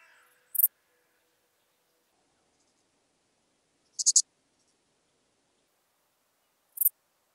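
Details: Dark bush-cricket (Pholidoptera griseoaptera) singing near Tuttlingen, Germany, on 8 October 2022, picked up with a Pettersson D 100 ultrasound detector: short, dry, very high chirps of two or three rapid pulses, spaced roughly three seconds apart, over near silence.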